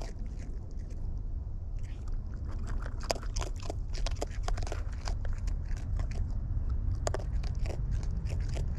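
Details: Close-up chewing by wild raccoons while eating: busy sharp crunches and crackles, quickening in the middle, backed by a heavy low rumble.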